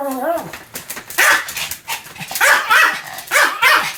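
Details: A Pomeranian named Sam gives a run of sharp, high barks at an uneven pace, with a human voice audible alongside.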